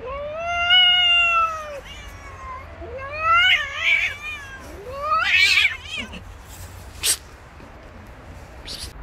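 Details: Stray female cat set upon by three male cats on the street, giving a long steady wail, then shorter wavering yowls that climb and dip, followed by sharp noisy bursts near the end.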